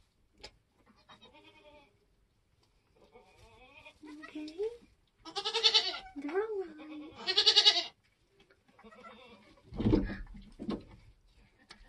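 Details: Nigerian Dwarf goats being born on a homestead in kidding season: two loud, wavering bleats stand out mid-recording amid softer bleating, with quiet human voices and a thump near the end.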